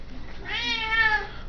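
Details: Indoor domestic cat demanding to be fed gives one long, loud, drawn-out meow with rich harmonics lasting about a second, a person speaking to it just before and after.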